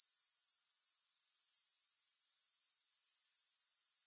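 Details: Uninterrupted grasshopper chirring: a sharp, very high, rapidly ticking trill at constant loudness throughout, with no other sounds and no music.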